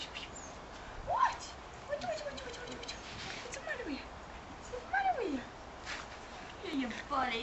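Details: Six-and-a-half-week-old puppies give soft, high whimpers that sweep sharply downward, several short cries spaced a second or so apart over a faint background hiss.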